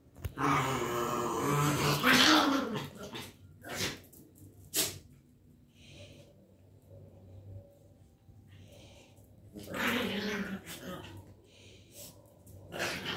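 A Miniature Schnauzer gives rough growling barks in short, irregular bursts indoors.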